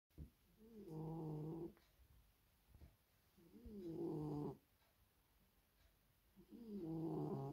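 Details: In a very deep sleep, a female Maine Coon cat snores loudly, each rasping, buzzy breath returning roughly every three seconds.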